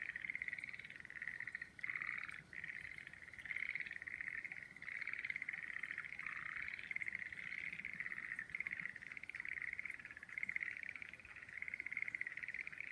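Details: Frogs calling among cherry trees in full bloom: a dense, continuous chorus of pulsed, trilling calls at a steady mid-high pitch, with a few brief breaks. Faint background hiss, no other clear sounds.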